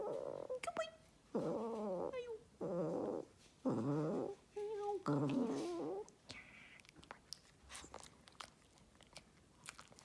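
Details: Pet Shih Tzu making cute noises while its owner coaxes it to sing. About six drawn-out, wavering whine-howls, each lasting roughly half a second to a second, come in quick succession, followed by a few faint clicks and rustles.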